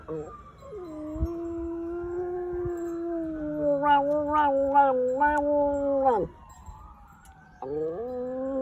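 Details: Pet dog howling in practice, March 2020: one long, low, sustained howl broken midway by pulsing, wavering bursts, ending in a sharp downward drop, then silence before a new rising howl begins.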